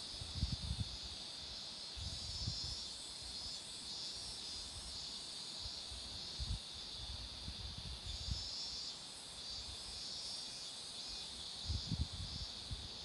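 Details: Next to a road lined with flowering marigolds, cicadas keep up an even, shrill drone with slight swells in intensity. Short low bumps of wind or handling noise recur.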